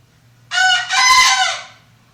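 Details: Bekisar cockerel under care, a frequent and shrill crower: one full crow in two linked parts, a brief rising note then a longer loud, raspy, ringing cry trailing off, with a low steady hum behind.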